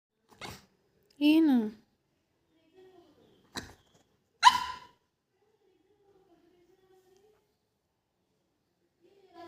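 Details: A female pug gives a few short, yowling barks with a wavering pitch, demanding chai, while a person briefly tells her to get down.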